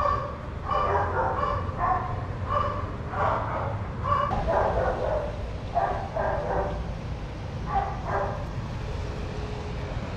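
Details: Several shelter dogs at play in a daycare bark in clustered bursts, dense in the first half and sparser later, with a low rumbling background throughout.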